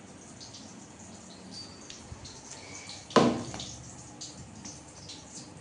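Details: Quiet indoor hiss with faint drips and one sharp knock partway through; no animal sound.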